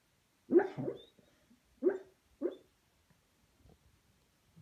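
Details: Junior, a pet Beagle, barks while dreaming in his sleep: three short, muffled woofs, the first a doubled burst, then two single ones about half a second apart, followed by faint soft whimpers and a quiet room.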